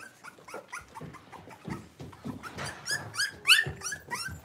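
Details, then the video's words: Playing blenheim Cavalier King Charles Spaniel puppies, five littermates in a home puppy pen, trade rough little growls and sharp, squealing yaps in a quick, uneven burst, building to a loud shrill yelp near the end. "Cavalier Puppies Livestream: Playing, Barking, and Learning"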